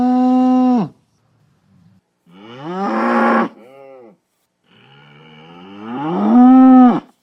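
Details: Male cattle bellowing on a farm: one steady loud moan, then a rougher, strained, rising call breaking into a shorter tail, and finally a long bellow that climbs and holds before cutting off.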